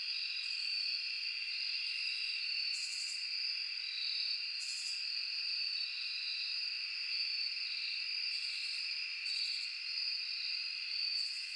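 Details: Night-time forest crickets form an unbroken, shrill insect chorus of overlapping high trills, punctuated by short, hissing higher-pitched pulses at irregular intervals of roughly one to two seconds.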